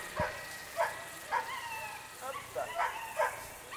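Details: Whippet at coursing training in Charonnay, 29 June 2020, giving a run of short, sharp yelping barks about every half second. Voices murmur faintly underneath.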